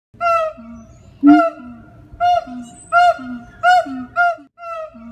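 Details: Siamang at the Jacksonville Zoo in Florida giving a vocal performance: loud harmonic whoops repeated about every half second, each starting with a sharp rising note and holding a steady tone, interleaved with low, short booming notes.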